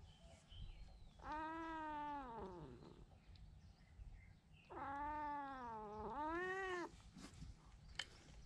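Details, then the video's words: Injured cat being treated after fighting an intruding stray: two long, loud, moaning meows of nearly two seconds each, the first sagging downward at its end, the second arching up and down, with quiet background noise between. "침입한 길고양이와 싸우다 다친 고양이 치료"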